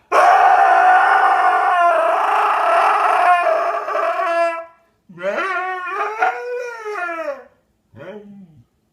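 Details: Pet dog making a funny howling noise: one loud sustained howl lasting over four seconds, then a quieter warbling, up-and-down howl, and a brief falling whine at the end.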